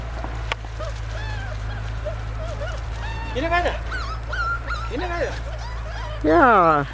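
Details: Puppies led through a forest and through brambles by two adult dogs: high, wavering whines and yelps rise and fall one after another, ending in a long sliding squeal, with a woman talking in German nearby.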